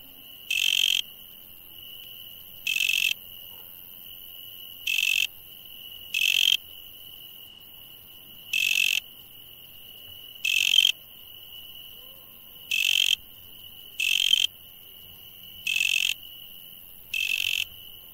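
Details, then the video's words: At night, insects keep up a continuous shrill tone while louder scratchy buzzes break in at uneven intervals of one to two seconds, about eleven buzzes over the stretch. "insect sounds at night"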